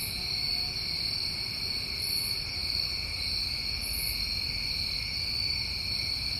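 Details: New England crickets on a summer night: a seamless high trill chorus in two bands, punctuated by two short very high chirps around the middle, over a soft low rumble.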